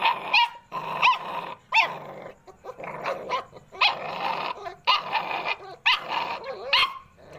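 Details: American Pit Bull Terrier puppies calling together: rapid, overlapping high yelps and whining squeals, short bursts with quick rising and falling pitch, some rougher bark-like notes mixed in, barely a pause between them.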